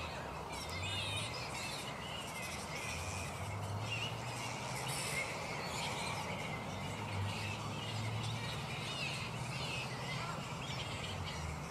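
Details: Black flying foxes in their roost at mid-morning, not yet settled for the day: a constant dense wash of high scratchy squabbling and chittering from many bats, with a low steady rumble underneath.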